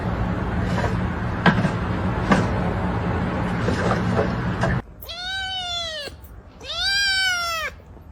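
A kitten gives two high, arching meows after a few seconds of rustling and handling noise.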